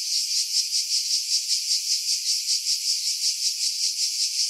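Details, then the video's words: Cicadas singing in pine trees about 50 m above the sea at Pefkos Bay, Skiros Island, Greece, in July 2018, recorded on a Sony RX3 with external mic: dense high buzzing pulsing about two to three times a second, wind filtered out. "Cicada Sounds, July 2018 Skiros, Greece"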